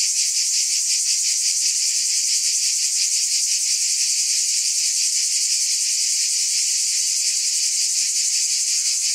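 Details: Steady shrill drone of cicadas, a continuous high buzz carrying quick faint pulses, level and unchanging from start to end with nothing else heard.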